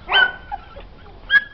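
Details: Young shelter puppy in Algeciras giving two short, high yelping barks about a second apart, the first loud and bright, the second sharper, amid a quiet room with Spanish speech nearby.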